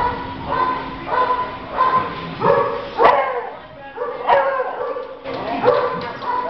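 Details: Brooklyn, a young male Border Collie Spaniel mix dog, barks while playing: short, sharp yaps come in irregular bursts over a few seconds, mixed with a person's cheerful voice talking to him.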